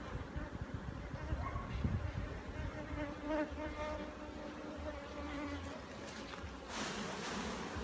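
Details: Bees buzzing during a hive inspection in Jamaica, a steady low droning hum with faint harmonic bands, some handling noise and a short burst of broadband rustle near the end.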